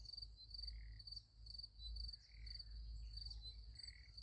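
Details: Sunflower field at night with crickets chirping in high, rhythmic pulsed bursts, a few soft buzzy insect notes between them, and a strong low rumble in the background.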